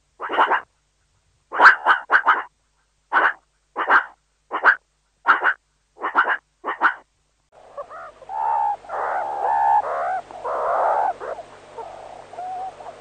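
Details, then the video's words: A meerkat (Suricata suricatta) gives short, sharp barking calls in uneven bursts, then softer warbling chatter. "Meerkat sounds, suricate call"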